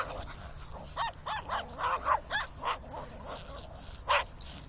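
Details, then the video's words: Terriers, including a Maltese, a Dachshund and a Fox Terrier, running about, nipping and playing; a run of sharp barks and yips, several close together, then a lone loud bark near the end, over a low rumbling background. "Terriers shouting and running about"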